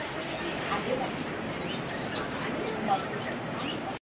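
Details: Fruit bats packed around the cave entrance of Goa Lawah Temple, Bali, home to a huge colony; continuous high, buzzy squeaking from many animals at once, with a few sharper chirps, ending abruptly.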